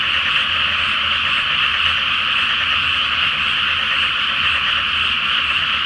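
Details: Night frog chorus in a pre-planting flooded rice paddy during the full Flower Moon: thick, steady layers of croaking voices blend into a constant buzzing roar, with a light low-pitched hum underneath.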